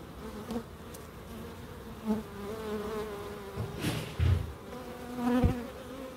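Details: A bee buzzes close by in a small wildlife garden in Crookes, its hum swelling and fading as it passes near, with brief louder bursts and a faint tonal whine over a background drone.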